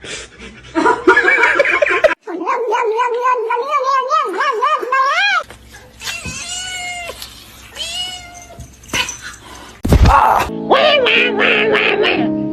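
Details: Domestic cat giving a run of wavering, drawn-out meows that bend up and down in pitch, ending in a sharp rising cry, with bursts of human laughter and talking around the calls.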